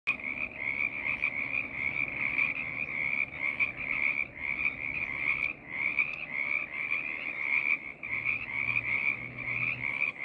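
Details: Frog choir of many callers overlapping into a continuous pulsing trill, a bright steady band with fainter lower tones, swelling and dipping in loudness throughout.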